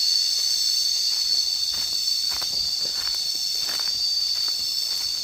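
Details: Cicadas singing: an unbroken, piercing high buzz layered in several close bands, constant in loudness throughout, with soft irregular taps in the background.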